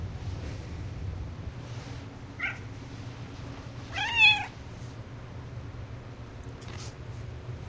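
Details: Talkative pet cat named Cassidy indoors: a brief faint cry near 2.5 seconds, then one louder harmonic meow that rises and falls in pitch around 4 seconds, over a steady low hum.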